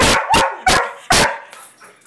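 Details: Weimaraner and Vizsla dogs answering a "speak" command with four loud, punchy barks in quick succession, followed by faint quieter sounds as the barking stops.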